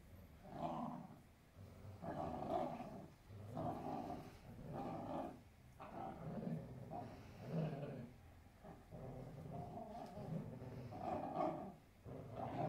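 Weimaraner dogs growling and grumbling in bursts while play-fighting with each other.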